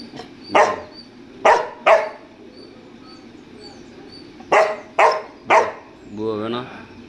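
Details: Pet dog stubbornly barking to be let into an air-conditioned room; two groups of three sharp barks separated by a pause, followed by a man's voice speaking Tamil.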